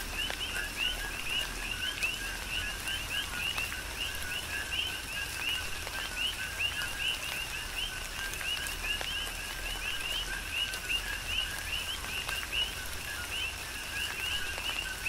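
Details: Chorus of coqui frogs recorded on Hawaii's Big Island during tropical rain, many overlapping two-part calls, a lower note then an upswept higher one, repeating densely throughout against steady rain noise.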